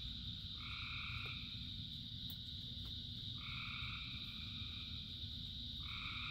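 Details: Frog chorus during rain. Three long, two-toned croaks spaced a few seconds apart stand out against an unbroken shrill background chorus and the low rumble of falling rain.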